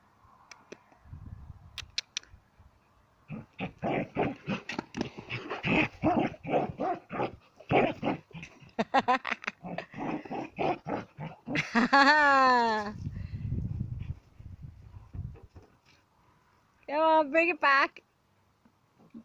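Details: Sam, a Border Collie, playing with a ball: a long run of quick, uneven barks or grunts, then a wavering, harmonic whine that slides downward and a second short whine near the end; a person talks nearby.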